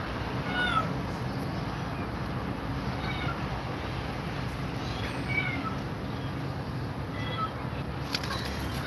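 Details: A scared cat facing two mother cats meows repeatedly: several short, faint, bent high calls spread through the recording, set against constant low-pitched hum and background rumble.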